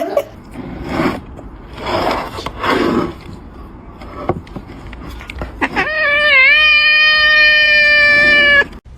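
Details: Domestic cat in a funny pet compilation giving a long, steady, drawn-out meow with a slight wobble in pitch, lasting about three seconds, after a stretch of noisy speech and handling sounds.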